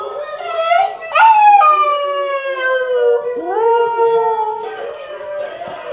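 Siberian Huskies howling in long, wavering tones that swoop upward and then hold steady.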